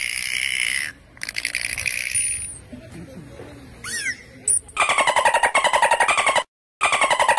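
A dolphin gives rapid, buzzy pulsed bursts broken by brief high whistles, one sweeping upward.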